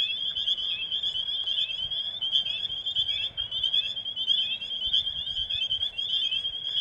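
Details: A dense springtime breeding chorus of spring peepers at a vernal pool, with high piercing peeps overlapping into a continuous ringing shimmer as the frogs call to mate.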